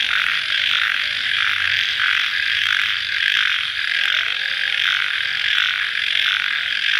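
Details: Cricket chorus at night shortly after rain, a loud continuous shrill buzzing trill that swells and fades in gentle waves about every second, steady background with no other distinct sounds.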